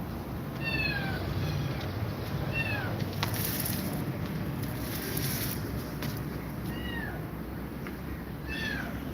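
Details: Domestic cats meowing as Grumpy Cat is scared of two mother cats; four short, arched, harmonic-rich meows spaced across nine seconds over a steady low rumble.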